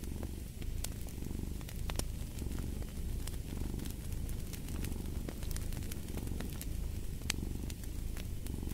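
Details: Cat purring beside a fireplace: a steady low rumbling hum that swells and fades with each breath, overlaid by frequent sharp crackles and pops from the burning fire.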